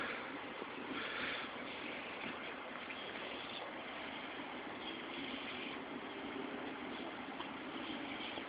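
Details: Continuous broadband rushing noise like running water or passing traffic, with no barking or other animal call heard.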